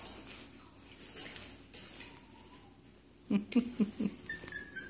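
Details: Cairn Terrier puppies from a litter, indoors in a small room: a thin drawn-out whine early on, then a quick run of about five short, sharp yelps, followed by faint high squeaks.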